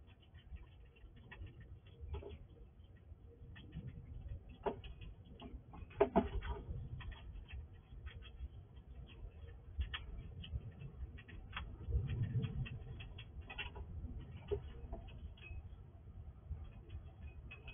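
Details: Nighttime feeding by a wild squirrel at a house drawer: rapid irregular ticking crunches and scraping as it eats everything fast, with sharper snaps around the middle and a low steady hum underneath.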